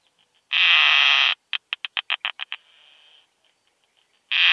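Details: Keeled plump bush-cricket (Isophya costata) singing in Zitzmannsdorfer Wiesen meadows, Austria, 1 June 2020, picked up with a Pettersson D 100 ultrasound detector: a long harsh buzz, then a rapid train of about eight short ticks, a softer hiss, and another buzz.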